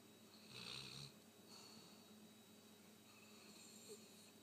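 A sleeping Rottweiler snores with soft, rough, rasping breaths in a quiet room.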